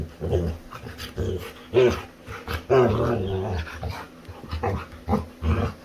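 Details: A female Labrador Retriever, active and playful again, plays with her human and gives strings of low, throaty growls and grumbles, some rising into short whiny moans, in uneven bursts about every second in a quiet room.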